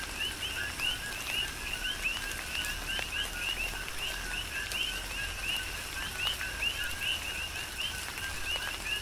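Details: Big Island, Hawaii coqui frogs in a rain shower, their clear rising "co-qui" notes repeated several times a second by many callers at once, a low tone followed by a higher chirp, over a soft hiss of rain.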